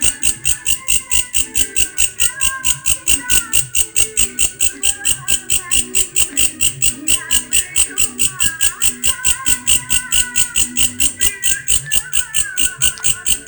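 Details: Grasshopper making a strange sound: a steady train of sharp, high buzzy pulses, roughly two every second, continuing without pause throughout, with faint lower wavering tones beneath.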